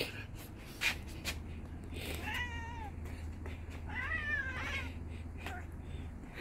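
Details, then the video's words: Spoiled pet cat wanting to stay outside, throwing a tantrum while being carried back home at night, giving drawn-out wavering complaining meows, two main cries with bending harmonics, over a steady low hum and some handling noise. "Cat JJ threw his temper tantrum when dad carried him back home at night."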